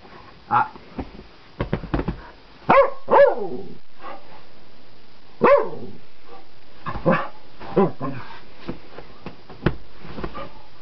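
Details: Wild dog on a flower bed, provoked by a person close by: loud sharp barks and whining yelps that swoop up and down in pitch, coming in irregular bursts, with the person's voice in between.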